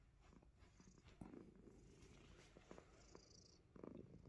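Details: Himalayan Persian cat indoors, playfully biting fingers, purring: a low, steady rumble with soft pulses, brief louder bursts near the start and end, faint clicks and rustling over it.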